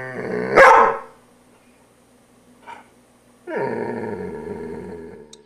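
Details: Poodle being groomed gives one sharp bark, then after a pause a long, sustained rumbling growl lasting about two seconds; a faint hum runs underneath.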